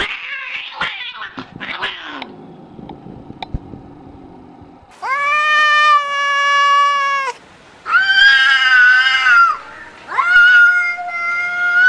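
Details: Domestic cat giving long sustained yowls, three drawn-out wails of two seconds or more with short pauses between, each slightly rising then falling; indoor scuffling and clatter come first.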